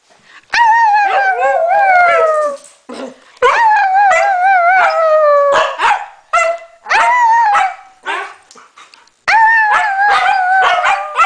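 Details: Norwegian Elkhound howling together with a Husky: repeated long, wavering howls that slide down in pitch, broken by sharp yelps and short barks, with a person speaking in between.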